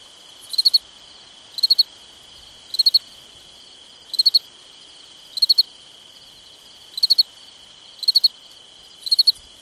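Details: Summer night crickets give clipped triple-pulsed chirps at roughly one per second, with slightly uneven gaps, above a constant thin ringing drone from other insects.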